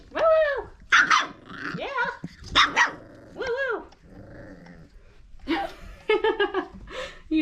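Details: Abby and Ragnar's five-week-old Old Family Red Nose Pit Bull puppies play-bark and growl in quick bursts, yips rising and falling, while a woman coos at them and mentions them biting her fingers.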